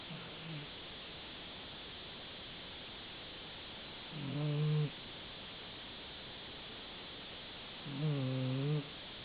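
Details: Sleeping Dachshund snoring: low, droning snores with a buzzy, layered tone, each lasting under a second and coming about four seconds apart, with a short faint one at the start, over a steady hiss.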